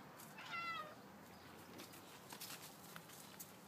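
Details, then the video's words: Pet domestic cat in a yard, meowing for no apparent reason: one short, clear meow with a slight downward bend, followed by faint background rustling. "This is my cat meowing for no reason."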